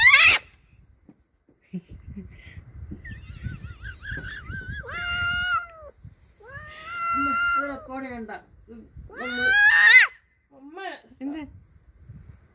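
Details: Domestic cat angry at a neighbour's cat intruding on its territory, giving a series of strained, wavering yowls and short wails in the middle stretch, with quiet human speech and a sharp noise at the start.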